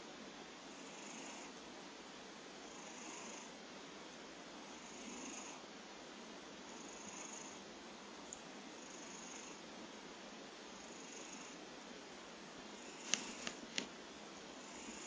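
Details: Kojiro, a pet cat, snoring indoors: soft, breathy rasping breaths repeating roughly every two seconds in a steady rhythm, with a few faint clicks near the end.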